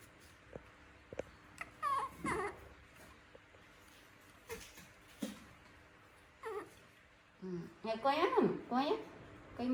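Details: A young monkey, at bedtime, gives short, wavering squeals and whimpers asking its mother for milk before going to sleep, while a woman talks nearby.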